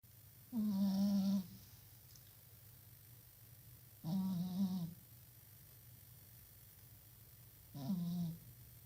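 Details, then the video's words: Domestic cat snoring indoors, three separate low, droning snores roughly every three to four seconds, each a buzzy tone with faint overtones, quiet room hum between breaths. "شخير قطة - ألطف شخير ممكن تسمعه بحياتك - شخير قطة"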